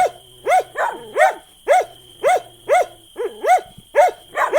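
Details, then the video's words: Short run of a dog's barks, arched yelping notes about two per second with a few softer lower yips between them, over a faint steady high-pitched hum. "Som de cachorro latindo"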